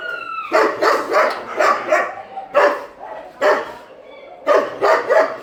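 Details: Dogs in a shelter at night feeding time bark in quick runs of three or four, with pauses between groups and a brief whistle-like whine at the start.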